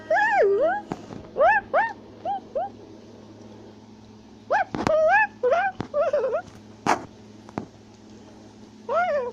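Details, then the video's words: Tufted capuchin monkey in South America, climbing a tree while shouting and chattering: high whining calls that rise then dip, some in quick wavering bursts, with pauses between groups and a few sharp knocks over a steady low hum. "Capuchin Monkey is Climbing a Tree While Shouting and Chattering Sounds"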